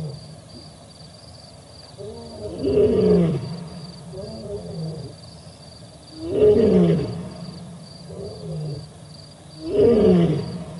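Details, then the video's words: Male lion at the Olifants River, 4 October 2020, another male also present: deep, moaning roars rising and falling, three loud ones about every 3.5 seconds with softer grunting calls between, over a steady low hum. "Sounds of other male lion"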